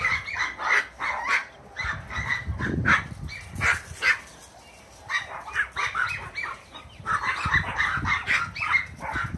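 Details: Bouvier des Flandres puppy playing and racing with a long-haired Chihuahua; rapid bursts of high, sharp yapping barks in quick clusters with short pauses, accompanied by thumping and scuffling sounds of play.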